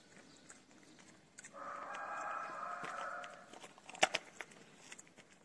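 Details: A feral kitten cries for food with a single drawn-out, harmonic meow lasting nearly two seconds, followed by a few sharp clicks and rustles in a quiet setting.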